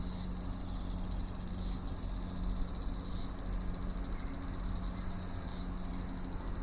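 A cicada drones in a steady high-pitched buzz, with faint pulses, over a low background hum.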